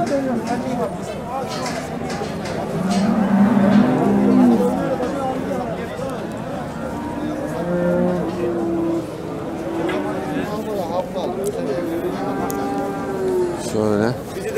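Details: Eight-month-old sacrificial cattle, Montbéliarde and Simmental, at the Şarkışla livestock market in Sivas, Turkey; several drawn-out, wavering moos in sequence, overlapping with crowd voices and market bustle.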